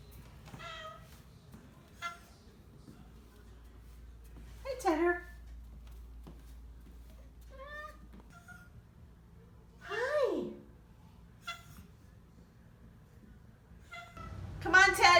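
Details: Oriental Shorthair cats, vocal on their first day in a new home after a house move, give several harmonic meows, some rising then falling steeply, spaced irregularly, while a woman coaxes them indoors with soft music behind.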